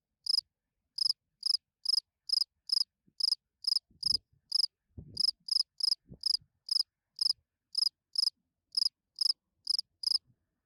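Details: A spring field cricket chirps its calling song, meant to attract females, in short, bright pulsed bursts about two per second, steady through the night.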